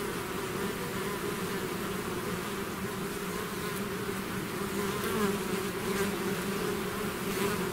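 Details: Bees swarming out of their hive make an unbroken buzzing roar, layered low tones holding steady, swelling slightly near the end.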